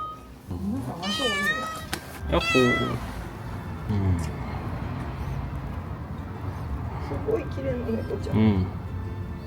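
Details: A cat met in the Impasse des Potiers in Vallauris, southern France, seemingly feeling good, in September 2024: two drawn-out wavering meows early on, later fainter mews, with a woman speaking and light street background.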